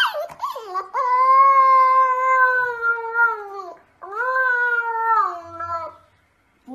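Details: Siberian Husky, a pet dog, giving two long, tonal howls, the first held about three seconds and sliding slowly downward, the second shorter with a wavering end; a person calls to it before and after.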